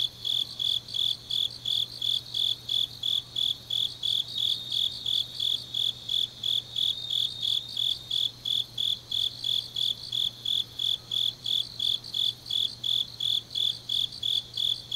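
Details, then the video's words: Night chorus of autumn grass insects from Changnyeong, South Gyeongsang Province: a loud, metallic chirp repeating about three times a second with regular rhythm, backed by quieter overlapping insect pulses and a faint low drone. "깊은밤 가을 풀벌레 소리"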